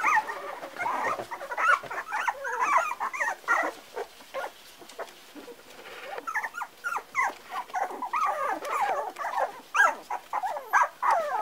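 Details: Parson Russell Terrier puppies, four weeks old, giving a busy stream of high, squeaky whimpers and yelps that rise and fall, overlapping calls from several pups with short quiet gaps between bursts.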